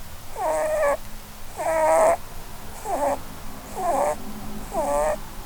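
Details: Five reedy, buzzy snores from Blueberry, a female Holland Lop rabbit dozing and dreaming under a Christmas tree, arrive about once per second, each a short nasal squeal with a dipping pitch.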